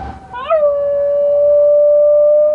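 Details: Basenji. A Basenji opens with a short rising whine, then settles into a sustained, even-pitched howl like a wailing siren. The tone holds almost flat for two seconds in imitation of a tornado siren.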